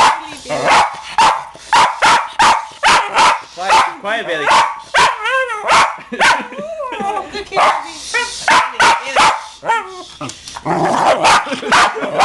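Sharp, explosive barks from a West Highland White Terrier come in quick bursts, broken by higher, wavering whines, an agitated response to one particular song. Music plays underneath, and a person's voice keeps trying to calm the dog.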